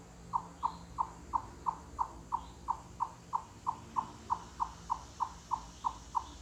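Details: Forest chipmunk calling cluck-cluck with whole-body effort, a knocking call said to echo through forests and mountains: a steady series of crisp, wooden-sounding clucks, roughly three per second, with little else audible.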